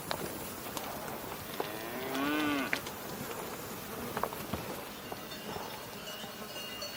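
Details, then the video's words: Cow giving a single drawn-out moo of under a second, rich in stacked harmonics that rise then fall, amid a busy background of faint bird chirps and clicks. "Cow Mooing Sounds"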